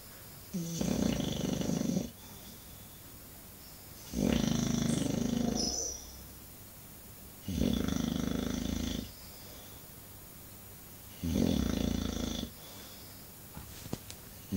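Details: English Bulldog snoring indoors, four long rasping snores about 1.5 seconds each, rumbling low with a hissy upper edge, separated by quiet pauses of roughly two seconds.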